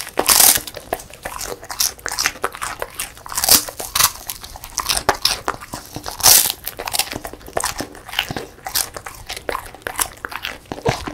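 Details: Dense, continuous crunching as a female beagle, born 2016, eats a crisp puffed rice treat: rapid dry bites and crackles throughout, with sharp louder snaps at regular moments.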